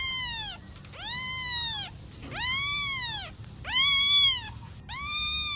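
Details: Playing kitten giving five long, high, arched meows, each rising then falling and lasting about a second, spaced roughly a second apart, clear over a quiet background.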